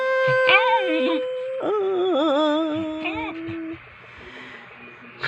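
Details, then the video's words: Pet dog vocalizing in a 'talking' manner, with drawn-out, wavering, whine-like tones that rise and bend, break off, then resume as a lower sustained moan before fading. Background music plays throughout. "Talking to my Dog"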